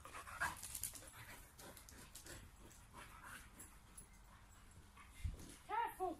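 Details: A sprocker spaniel leaps around and attacks bubbles during play, giving a few sharp, arched barks while a person speaks nearby.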